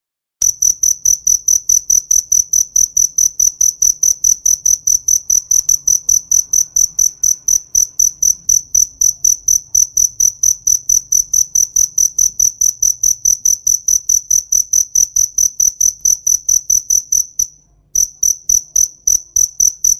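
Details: Cricket calling in a summer field: a loud, steady train of shrill chirps, about four per second, on one high pitch, with a brief pause near the end. No other sounds.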